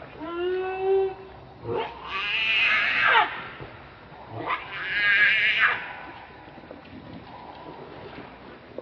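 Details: Baby monkey Leo, hungry and angry, crying to beg its mother for milk: a few thin, wavering tonal whimpers, then two long, harsh, shrill screams a couple of seconds apart, with background noise throughout.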